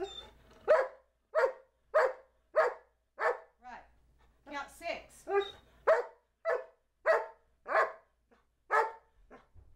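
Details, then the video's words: Two-year-old Old English Sheepdog taught to talk and count to 12, indoors, answering spoken counting prompts with a steady run of short, clipped woof-like barks, about a dozen evenly spaced, mixed with a person's voice. "Talking Dog Charlie B. Can Count to 12!"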